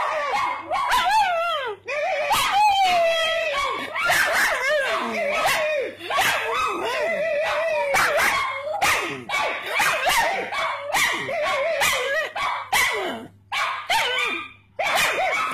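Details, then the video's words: Joining in when people bark, the pet pug Puggly keeps up a nearly continuous stream of warbling yelps and howl-like barks with sliding pitch, sounding like a chat. "Puggly Barking"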